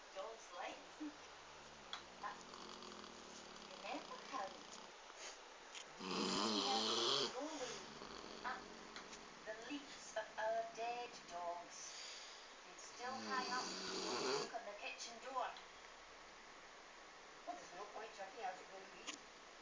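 A sleeping Weimaraner gives rough, wheezy snores that swell into two loud, rattling bursts. Soft human voices are heard between the snores.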